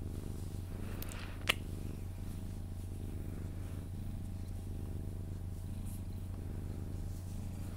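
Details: Cuddled Sphynx cat purring as it falls asleep; a quieter, softer low rumble with gentle breathing rhythm, a sharp tap or click early on and faint rustling.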